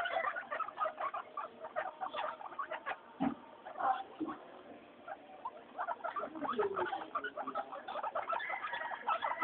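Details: Guinea pigs Mayumi, Archie and Miyuki out for weekly floor time, noisy and happy: overlapping short squeaks and chirps tumble irregularly, with a few soft thumps and louder bursts among them.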